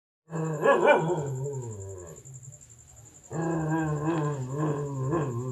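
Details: Dog at a big black stray cat: low, harmonic growling whines in two drawn-out bouts separated by a quieter stretch, with a steady high-pitched tone running underneath throughout.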